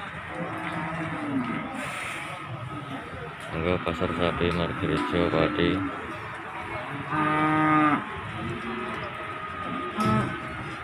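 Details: Cattle at Margorejo market in Pati on 13 May 2020, coming down off a truck: a few short low moos and one stronger harsh bellow late on, mixed with people talking, clanking and general market noise.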